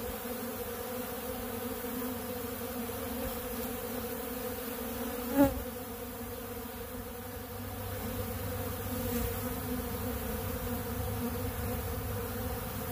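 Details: Many honey bees at a large blue feeder of ultra bee pollen, a continuous low humming drone of massed wings, with one sharp brief tap or click midway through.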